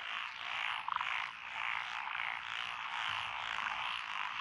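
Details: A continuous night-time frog chorus over lotus rice paddies in Echizen, Fukui Prefecture, recorded 12 June 2021, with Japanese tree frogs, pond frogs, wrinkled frogs and green tree frogs present. One brief, loud rattling burst stands out near the start against a constant croaking wall.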